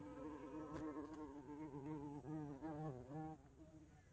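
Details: Flying bumblebee giving a loud, low, wavering buzz, the droning pitch rising and falling as it moves, fading away over the final half second.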